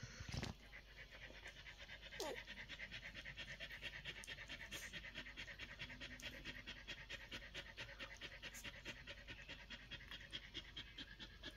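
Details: One-week-old Collie puppies breathing in fast, soft broadband puffs, about two per second, steady throughout, with a faint squeak early on and a low thump at the start.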